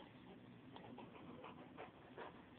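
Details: Rottweiler Angus, a 170-pound male aged two and a half, tired after playing indoors in a bedroom, filmed by phone with heavily distorted audio; breathy panting bursts recur roughly every 0.7 seconds over a steady hum-like background hiss.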